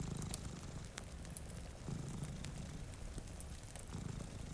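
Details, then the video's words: Cat dozing in front of a rainy window near a fireplace gives a soft, low purr rising in three breath-paced swells about two seconds apart, overlaid with occasional crackling pops from the fire. "Purring Cat"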